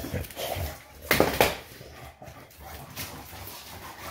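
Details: A Shar Pei dog playing wildly indoors gives two short, harsh barking bursts close together midway through, set against low room rumble and scuffling.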